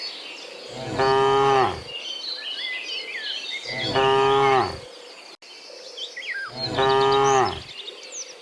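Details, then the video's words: Dozens of cows walking home from the fields to the pen in the afternoon: three long, deep, harmonic moos, each about a second, evenly spaced, with chirping birds and a steady high insect hiss behind. "Dozens of Moo Cows Walking Home from the Fields to the Pen in the Afternoon, Sound of Cows"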